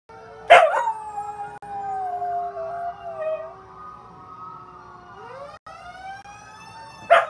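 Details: Responding to fire truck sirens, Ruby, a one-year-old rescue mix of Chihuahua, pit bull, German shepherd, Jack Russell and rat terrier, gives a loud yelp, then a drawn-out wavering howl, and a final sharp cry amid steady siren tones.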